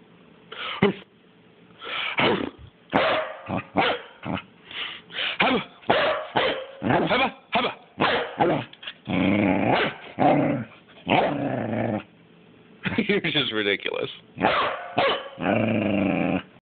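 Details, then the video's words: Pippin, a pet dog, barking on the couch: a steady run of sharp barks and growly yaps, some drawn out and harsh, coming in quick bursts about every half second with brief pauses, close and loud indoors. "Pippin couch barking"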